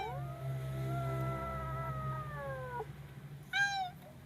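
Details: Frightened kitten holding one long, level, slightly falling wail for nearly three seconds, then a short sharp upward yelp, against a low droning hum.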